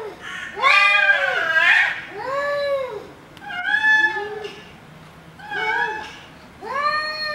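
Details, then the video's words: Angry cats fighting: long, drawn-out yowls with rich harmonics, each rising then falling in a slow arch, repeated about every one and a half seconds, the first wavering and strained, in a small quiet room. "ANGRY CATS /FIGHT CATS"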